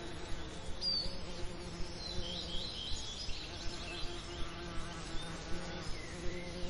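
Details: Summer lavender ambience with a faint, steady low bee hum, light high-pitched bird chirps above, and a soft rhythmic ticking repeated about every third of a second.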